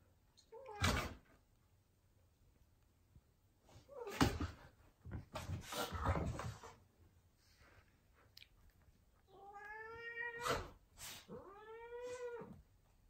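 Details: Ragdoll cat, angry while playing with an Australian Shepherd dog indoors; two drawn-out, wavering meows near the end, preceded by thumps and scuffling bursts of play noise.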